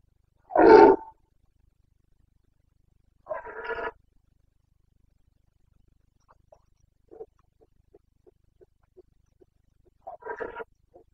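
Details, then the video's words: Carpathian red deer stag roaring during the rut in the Bucovina mountains, 29 September 2022; one loud hoarse bellow, then a second weaker roar and a string of short grunts before a final roar, with quiet gaps between. "Boncănit / Carpathian stag Breeding season 29.09.2022"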